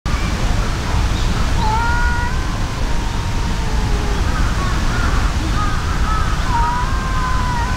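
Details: Brown tabby-and-white cat, furious, squaring off with a brown tabby cat in a fight: long drawn, wavering yowls held for seconds, sliding slightly in pitch, over a steady loud low rumble of background noise.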